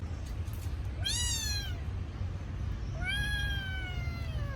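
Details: Crying kitten missing its mother: two clear meows, the first short and falling, the second long and slowly descending for over a second, above a low steady background hum.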